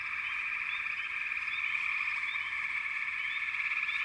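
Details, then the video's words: Many frogs trill together in a continuous, even drone, overlaid by quick little rising chirps that repeat at irregular short intervals. "Frogs - Nature Sounds"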